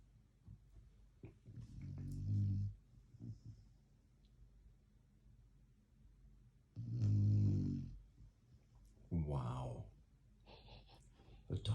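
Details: Black Labrador Retriever asleep indoors, giving deep, low rumbling snores in slow bursts near 2, 7 and 9 seconds, with quiet pauses between them and faint human voices in the small room.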